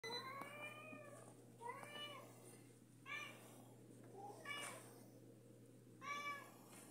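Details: Female cat asking her human for food, giving five clear harmonic meows over seven seconds, some rising then falling, spaced about one to one and a half seconds apart, over a steady low hum.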